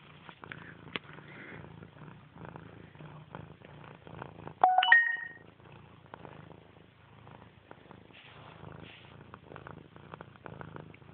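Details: Grey domestic cat purring indoors, a low rhythmic rumble repeating about three times a second, interrupted midway by a brief loud chirped vocal burst, with soft handling noises.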